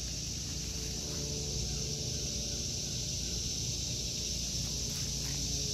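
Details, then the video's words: Summer cicada chorus in an August 2023 home vegetable garden. A shrill, unbroken electric buzz fills the high range, with a louder rumbling background hum underneath. "Sounds of Summer #cicadas"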